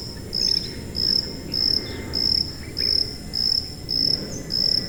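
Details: High-pitched cricket used as a tinnitus masking sound, eight crisp tonal chirps spaced evenly a little over half a second apart, each short and level in pitch, above a low murmur of background noise.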